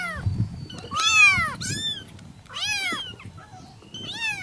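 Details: Persian kittens calling their mother: high, harmonic-rich meows that arch and fall, four calls in a few seconds with short gaps between, over a low indoor rumble.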